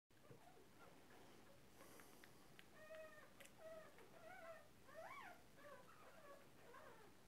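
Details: Fifteen-day-old Cairn Terrier puppy at a breeding kennel, giving a run of thin, high, squeaky whimpers that rise and fall, some arched and wavering, repeated about every second, over a faint indoor hiss.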